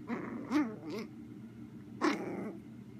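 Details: Indoor play between a chihuahua puppy and a miniature German shorthaired pointer: wavering, whiny growl-yips rise and fall in pitch, a pair early on, then one louder drawn-out growling bark after a short pause, over low room hum.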